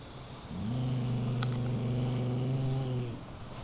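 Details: Beagle mix dog giving one sustained low growl of about two and a half seconds, even and slightly pulsing, with faint clicks and a steady background hum.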